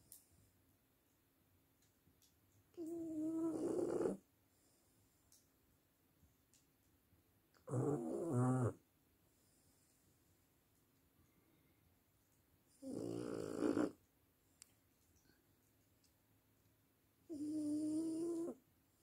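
A French bulldog snores in loud, rasping bursts, each lasting about a second, roughly every five seconds.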